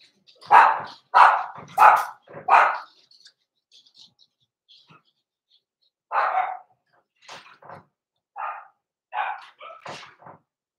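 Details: Blenheim Cavalier King Charles Spaniel puppies, born November 14, 2022, in an indoor puppy pen at Christmas: four loud, sharp yaps in quick succession, then a pause and a string of softer, higher barks and yelps.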